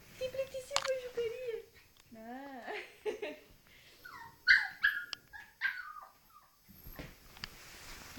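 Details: Puppy playing in front of a mirror, giving high, wavering whines and short yelps that rise and fall in pitch, several in quick succession, mixed with people talking in Romanian and laughing nearby.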